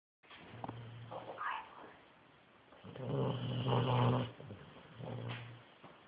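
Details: Dog knocked out by medication, snoring loudly: deep rattling rasps in long drawn breaths, about three snores over six seconds, each swelling then fading.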